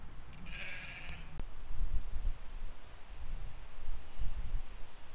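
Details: Sheep and lambs grazing in a field in spring 2020 give a single short, fairly high, thin bleat early on, then low grazing rustles and outdoor rumble.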